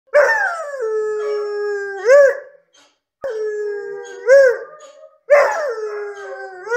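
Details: Grand Basset Griffon Vendéen dog howling: three long, drawn-out howls, each opening higher and sliding down to a steady held tone, then ending in a brief wavering rise and fall, with short silent pauses between.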